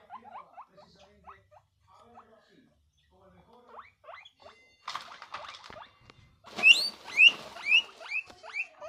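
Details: A guinea pig in a happy, excited reaction wheeks with rising squeals, faint at first, then loud, shrill and repeated.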